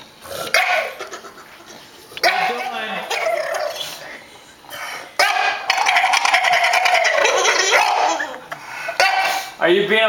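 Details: Stryker, a dog upset because he cannot be with Jayda, gives drawn-out whining cries that rise and fall in pitch, broken by short gaps, while a person talks to him over the top.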